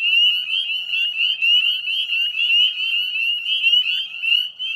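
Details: At the Chezzetcook salt marsh in Nova Scotia, Canada, a spring evening chorus of northern spring peepers, 18 May 2020 at dusk: a loud, unbroken mass of high, sharp peeping notes sliding upward.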